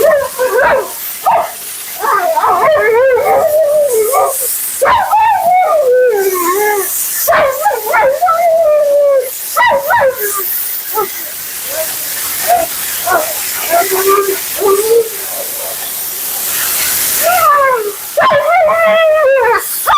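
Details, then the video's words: A vocal Siberian Husky named Mila, being bathed and groomed, keeps up nonstop commentary of sliding, wavering howls and whimpers with quick pitch swoops and brief yips, water spray hissing behind. "Talking Husky FURNADO Bath and Blowout"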